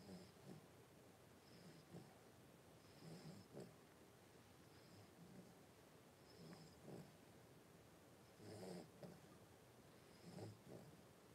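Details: Five Blenheim Cavalier King Charles Spaniel puppies, about three weeks old, rest with their mother Paris in an indoor home puppy pen on 26 January 2023. Soft snoring breaths repeat in uneven pulses under a steady hiss, with faint higher squeaks now and then.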